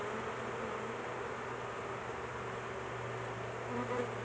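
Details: Steady droning buzz of many honey bees at a large hive under intervention, with their queen caged for protection; an even hum holds throughout beneath a low constant electrical-sounding tone.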